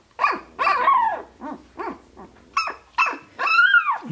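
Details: Shiba Inu puppies from the litter of Ichi and Hime, sixteen days old, born 25 February 2017 and recorded 13 March 2017. They give high, arching whines and squeals in short bursts with brief pauses between them, plus a few softer whimpers.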